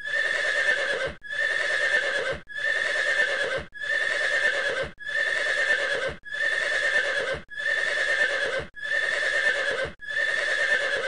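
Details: Nine uniform horse calls, each a steady, rich-toned blast of about a second, follow one another at regular intervals of roughly 1.25 seconds, with brief silences between them.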